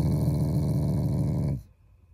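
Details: A loving pet Shiba Inu growling at its owners, not angry: a continuous deep, buzzing growl that breaks off abruptly into a quiet room.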